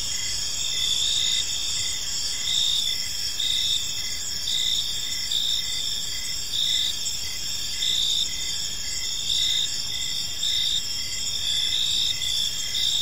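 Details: Crickets chirping in a park on an evening: steady shrill high trilling in several layers, with short pulsed chirps repeating roughly twice a second over a constant insect hum.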